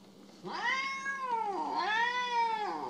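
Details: Domestic cat in a funny compilation of cats described as jealous, giving two long drawn-out meows. Each one arches up then sags in pitch, is richly harmonic and loud, and the second runs slightly longer. A faint low hum sits underneath.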